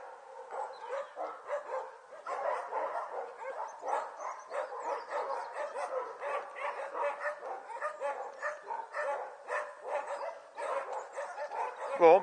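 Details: Young Border Collie puppies, around a month and a half old, at play on 5 January 2013, yapping almost continuously with dense overlapping high-pitched yips and squeals from several pups at once.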